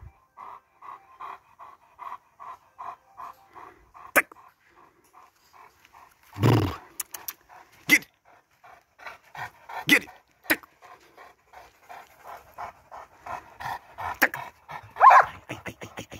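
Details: Steady rhythmic panting from Lenny Mclean, a 19-month-old Presa Canario, breaths coming roughly twice a second, with a person praising the dog, sharp clicks and a loud rustle midway.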